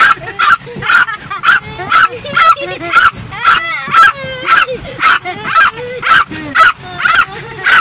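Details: A female Yorkshire Terrier in a car, angrily barking at the windshield wipers whenever they run, gives sharp, high-pitched barks in a steady, rapid string, nearly two per second.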